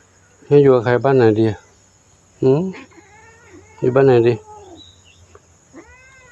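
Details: Young kitten that arrived alone at a temple in Chae Hom, Lampang, Thailand, giving loud drawn-out meows, two quick harmonic-rich cries then a pause, another cry, and a third burst, with a faint steady high hum and soft human murmurs.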